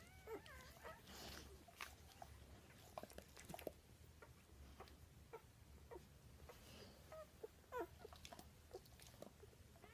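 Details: Newborn Weimaraner puppies, some less than an hour old, from a litter of seven (four males, three females), give thin, high squeaks and whimpers, several calling in short overlapping bursts.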